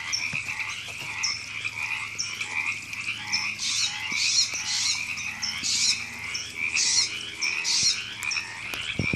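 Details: April 2017 frog chorus at Temescal Canyon Park in Los Angeles, California: steady overlapping croaking with repeated harsh bursts and high chirps every half second to second, building louder toward the middle.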